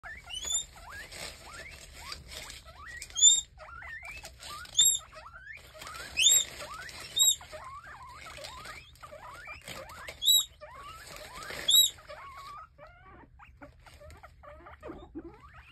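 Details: Excited pet guinea pigs waiting for food: loud shrill rising whistled wheeks burst out roughly every one and a half seconds, with softer squeaky chatter running between them.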